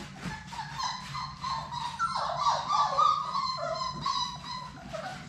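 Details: Six young Labrador Retriever pups of Sadie's litter at play in their indoor play room, giving a run of rising and falling high whines and short yips, steady soft rustling beneath.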